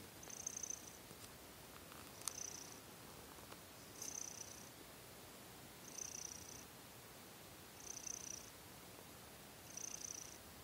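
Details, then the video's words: Young house cat Seol-i purring at night before falling asleep, catching its breath after kneading. Breathy purr swells repeat regularly about every two seconds, with faint rustling between them. "고양이 설이의 꾹꾹이&그르릉"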